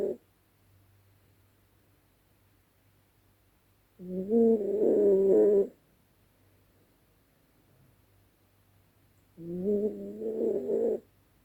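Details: Dezi the Yorkshire Terrier asleep at night, letting out a wild nocturnal snore: two rough, droning, tonal snores roughly five seconds apart, each about a second and a half long, separated by near silence.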